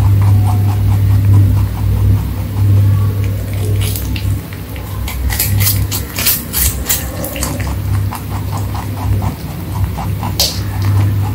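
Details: Rabbit (Oryctolagus cuniculus) eating, crunching its food in quick, dry, irregular bites over a steady low hum.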